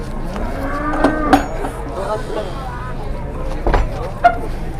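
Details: Masked cattle arriving and being unloaded from a truck; a drawn-out, low moo slowly rises in pitch over about two seconds, with scattered knocks and clatter around it.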